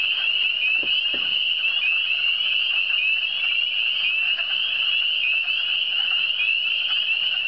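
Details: Eastern Townships frogs in full chorus: a nonstop high, shrill, trilling drone of many callers; two brief low thumps are heard near the start.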